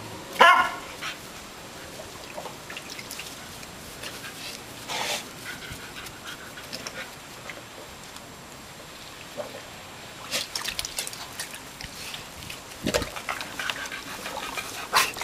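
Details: An English Springer Spaniel, energetic after a long-hair trim, gives a single sharp, bright bark, followed by scuffling and clicking noises.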